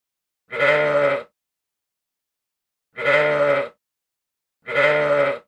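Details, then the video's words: A ram calls three times, each bleat a coarse, buzzy, sustained cry under a second long, with the last two coming closer together; quiet background. "EL CARNERO - El balido (sonido)"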